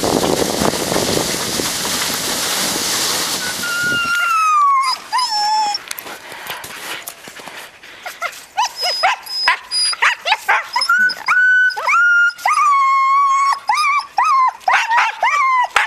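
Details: Siberian huskies on a 2011 spring run, six-year-old Ravn with yearlings Haidi, Znoke and Myrull: after four seconds of rushing noise come high, wavering whines and yelps, often falling in pitch, repeated rapidly with short gaps.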